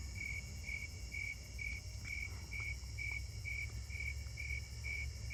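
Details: Snowy tree crickets sing steady, mellow chirps, about two each second, over a low rumble of traffic, heard on a summer night walk through a neighbourhood on 7/25/26, with coneheads nearby.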